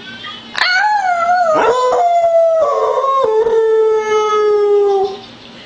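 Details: A Beagle adopted from the SPCA, said to have been mistreated and long silent, howls for one of the first times ever in spring 2009, giving a long, loud, mournful howl that slides downward in pitch, prompted by human howling.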